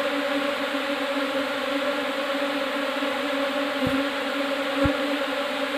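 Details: Fresh Apis cerana indica swarm settling into a hive box, giving an unbroken, even buzzing drone with a strong low hum and stacked overtones, plus two brief taps.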